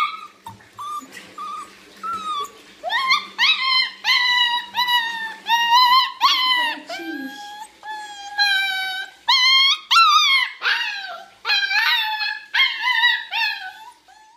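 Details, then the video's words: Female Small Munsterlander puppy talking during her owner's bath, annoying yet sweet: a long run of rising-then-falling whines and yodel-like howls, about one every second, rich in harmonics, with a low steady hum early on. "Relaxing bath with my talking puppy"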